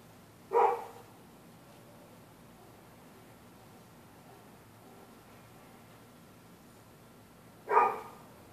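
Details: Night barking from the neighbours' dogs, set off by anyone on the sidewalk on either side of the street: two single sharp barks about seven seconds apart, with near silence in between.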